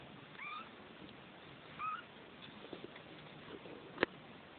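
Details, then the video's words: Neva Masquerade kittens, two weeks old, litter F of a Czech cattery, give two clear high-pitched mews about a second and a half apart, each a short arched wail, followed by soft rustling and a sharp click. "Neva masquerade kittens"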